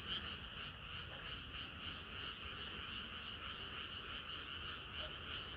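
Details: Frogs singing through a hot summer night, a thick chorus of overlapping croaks, pulses about three per second but less regular, over a steady low rumble.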